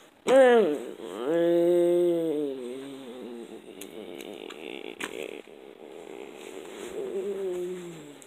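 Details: Frog screaming in a park: a loud, drawn-out, harmonic wail that opens abruptly, holds steady, then wavers and fades into softer, rougher moaning over several seconds.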